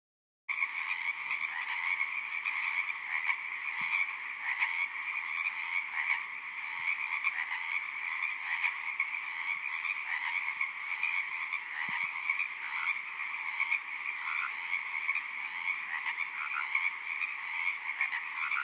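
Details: Tree frogs in a dense, continuous chorus: overlapping trilled croaks pulse steadily in two bright pitch bands throughout, with a few faint low knocks scattered in the background.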